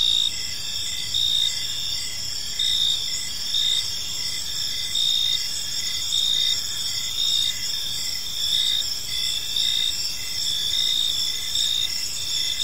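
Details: Evening cricket chorus in a quiet park, shrill and continuous, with louder pulsed bursts returning roughly every second against a steady high ringing hum and soft low-frequency background noise.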